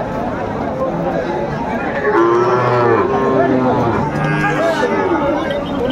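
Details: At a Joypurhat cattle market in Bangladesh, 17 August 2024, colourful young Sahiwal calves give long, bending lows partly buried under loud chatter of buyers and sellers.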